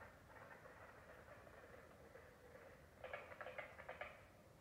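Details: A carpenter frog in South Carolina gives a quick run of sharp, woody knocks, like hammering, over a soft background chorus.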